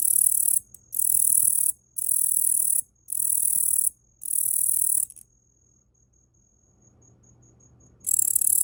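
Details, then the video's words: Hand-raised Tettigonia orientalis katydid, collected as a small nymph in early spring, calling from a person's arm: five rapid, evenly spaced hissing buzzes of about a second each with short gaps, then a pause and a fresh buzz. "イケメンのヤブキリの鳴き声 - Sound of Katydid - Tettigonia orientalis"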